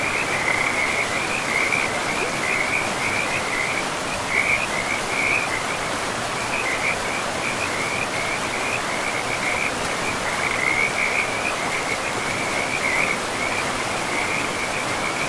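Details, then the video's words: Frogs by a river deep in a pristine forest, trilling in a near-continuous chorus of quick chirping notes that pulse and overlap throughout, set against a loud, even hiss of rushing river water. "River and Frogs sleep sounds"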